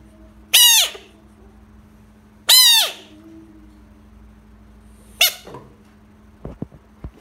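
An American bullfrog gives loud, harsh, high-pitched screams, three in all, a couple of seconds apart.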